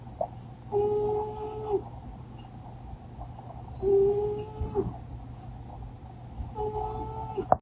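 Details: Poopy, a sleeping cat, snoring: a thin whistled tone held about a second, repeated roughly every three seconds with a faint higher overtone, over a steady low indoor hum.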